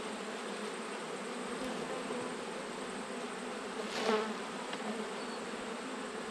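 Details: Honey bee hive being inspected in autumn, with the colony still busy; a continuous low, rough buzzing hum holding steady, with one brief louder swell partway through.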